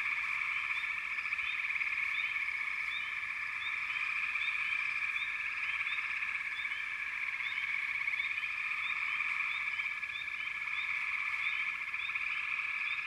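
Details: A continuous frog chorus: many overlapping trilled calls merge into one steady drone, while short upward-sweeping chirps break through repeatedly across the recording.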